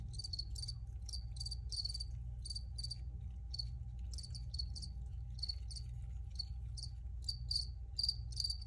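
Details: Chirping crickets in an original recording meant for relaxing listening, bright pulsed trills repeated in quick clusters with brief gaps, set against continuous low-frequency background rumble and a thin steady tone.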